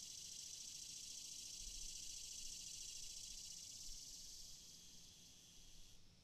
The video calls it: Cicada Sound